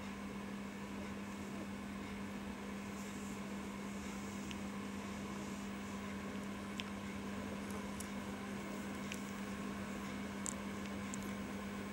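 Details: A steady low electrical hum fills a quiet indoor room, broken only by a few faint clicks; no animal sounds.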